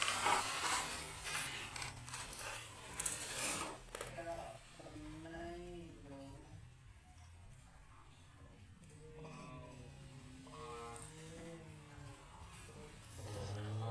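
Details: Hungry baby monkey named Leo crying and begging its mother for milk; wavering, whimpering cries in short bursts around five, nine to ten and eleven seconds, after a noisy rustling start.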